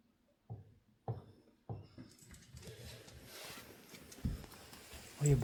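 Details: A male Shiba Inu gives three short, sharp barks about half a second apart at 6 a.m., apparently at his own reflection in a mirror, then a person starts talking.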